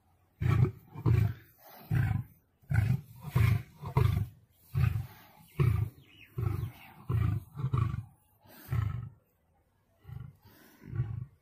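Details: Lion fighting a tiger gives repeated deep, rough roaring grunts in uneven bursts, some paired, with brief quiet gaps between them.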